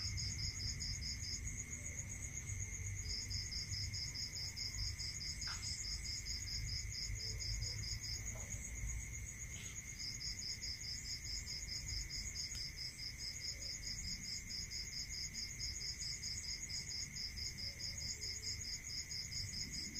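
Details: Crickets at night in a rural area keep up long trains of rapid, high pulsed chirps, broken by a few gaps. Continuous shrill ringing and a constant lower whine run throughout, with occasional faint clicks.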